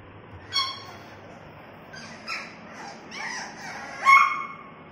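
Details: French bulldog puppies giving short, high whining yelps with tonal, bending pitch. Calls come in scattered bursts, the loudest and sharpest near the end, over a quiet background.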